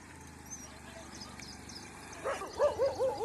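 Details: During a morning walk, pet dogs fight suddenly with street dogs; a quiet stretch of background hiss gives way to a burst of four or five loud, arching barks in the final second.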